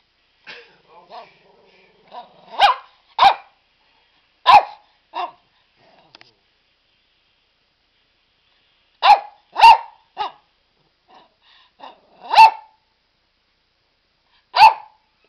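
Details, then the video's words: Barney, a pet dog sitting in his ball pool, barks in short sharp bursts, singly and in pairs spread over the stretch, with quieter yips and soft grumbles between them. "Barking Barney"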